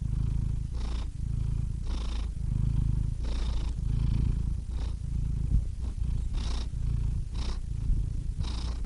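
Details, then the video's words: Purring cat heard up close, a low vibrating rumble rising and falling with each breath, the breath breaks coming roughly every 1.3 seconds with a few small clicks and snuffles between. "Cats Purring Soothing Sound Effects (Relaxing Cat Sounds)"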